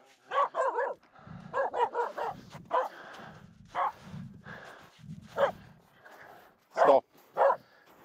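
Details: Finnish Spitz Aamu barking nonstop at two reindeer walking close while crossing a snow pack on the climb up Mulen; sharp, loud barks in quick doubles and triples, about a dozen in eight seconds, with low rustling footsteps between.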